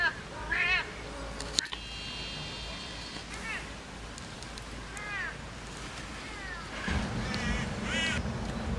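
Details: Alex, a Siamese cat, in winter in the Netherlands, gives several short arched meows with rising-then-falling harmonics, spaced a few seconds apart, over steady background hiss and a brief sustained tone.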